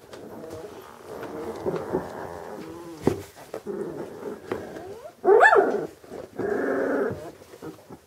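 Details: Vizsla of old working hunting lines from a German breeding kennel, making rumbling harmonic growls, then a loud high whine-yelp around five seconds followed by a steady growl.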